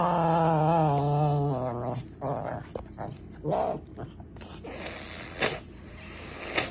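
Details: Serval giving a long, loud, drawn-out wavering call lasting about two seconds, with a steady low moaning tone, followed by shorter broken calls, rustling and clattering noises, and a brief bit of human speech.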